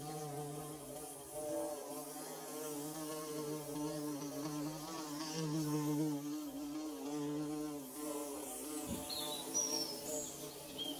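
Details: Hive-building bees fill the air with an unbroken, low buzzing hum of stacked, quavering tones that rise and fall a little; a faint thump near the end and a few thin high chirps in the background.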